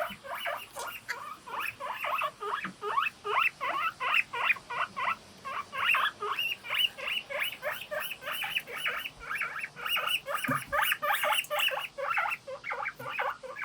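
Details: Several pet guinea pigs kept together call in a morning chorus of 'pui pui' squeaks: rapid, repeated high chirps that overlap almost without pause throughout.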